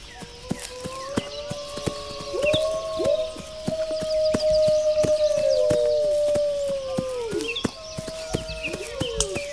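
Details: One wolf holds a long, steady howl that slides up, stays level for about five seconds, then drops away, with fainter howls and rapid clicking ticks beneath and faint high chirps above.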